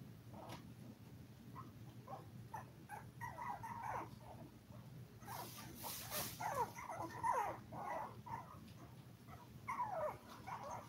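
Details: Among a litter of seven toy poodle puppies aged five weeks, filmed live, sharp falling squeaks and whines build in clusters. A burst of rustling comes midway, and shrill cries follow near the end.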